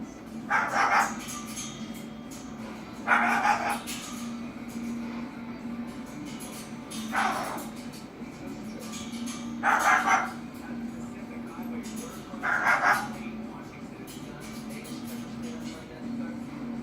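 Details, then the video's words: Harley the dog gives single barks spaced a few seconds apart, five in all, over a constant low electrical hum. "Harley Barking"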